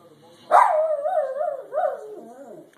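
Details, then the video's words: Jeter the dog lets out a wavering, mid-pitched howl-like moan that starts abruptly, slides and wobbles for about two seconds, briefly rises again, then fades downward. "Jeter makes funny noises"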